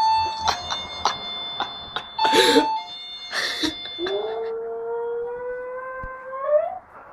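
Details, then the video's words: Doorbell chimes set off a pet Westie indoors, then the dog answers with a long rising howl that climbs steadily over several seconds, among bright bell tones and brief laughter. "Westie Howling to Doorbell"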